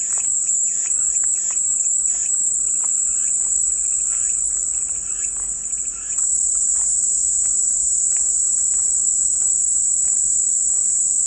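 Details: Continuous high-pitched cicada buzzing, a calming white-noise soundscape, hums without break, dipping slightly near the sixth second, while soft intermittent chirps and ticks sound faintly below.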